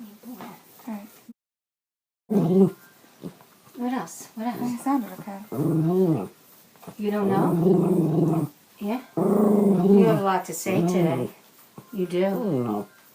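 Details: Bichon Frise female appearing to converse with her owner indoors, recorded on an iPhone 5: sustained, wobbling, yodel-like moans lasting around one to two seconds each, interleaved with the owner's talking and a brief silent gap.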